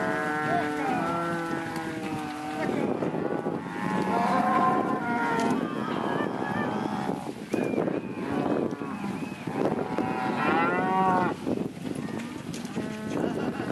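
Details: Mixed herd of heifers and cows, chiefly Angus and Red Angus, some Jersey and crosses: layered moos overlapping one another, long wavering bellows rising and falling across the whole stretch, amid constant herd clamour.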